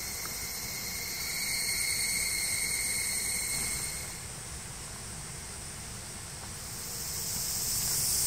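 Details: In Japanese woodland beneath the Yoro Mountains, cicadas along the Tokai Nature Trail produce a high buzzing that swells loud, fades, then rises again, with thin ringing tones layered over the hiss.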